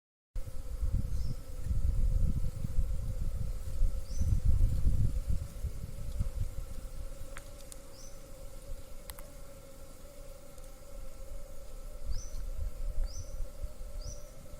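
A constant, even buzz from honey bees holds through the whole recording, a droning hum with little change in pitch. Low rumbling, probably wind, fills the background, and a few brief high chirps come and go.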